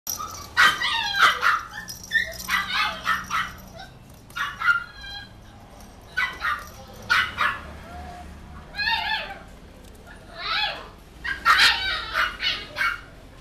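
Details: Cream-coloured miniature dachshund puppy, born 17 February 2014, giving short high yips and barks in irregular bursts, some rising whiny yelps, with quiet pauses between.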